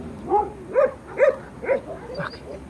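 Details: Kangal puppies, young dogs soon to be rehomed, barking at paper collectors: four rising-and-falling yelping barks about half a second apart, then a softer trailing yelp, over low background murmur.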